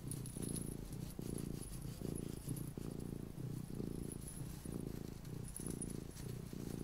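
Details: Luna the little house cat purring steadily up close: a buzzing low drone broken into regular in-and-out breath cycles, each roughly two-thirds of a second long, with nothing else but quiet hiss.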